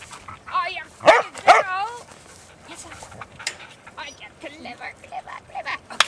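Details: Noisy Huntaways out walking on a Sunday: two loud, hoarse barks close together after a thin whine, followed by softer yelps and whimpers under human speech.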